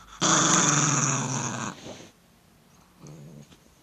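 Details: An Italian Greyhound, threatened by its owner's finger, gives a loud, rough growl lasting over a second, then a softer rumble.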